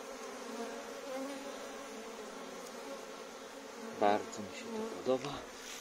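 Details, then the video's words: Honey bees at an apiary making their first cleansing flight in March, flying out for water and pollen among blooming crocuses; a steady, droning buzz with layered overtones, broken by two brief louder rasping surges near the end. "Pierwsze pszczoły w marcowym oblocie"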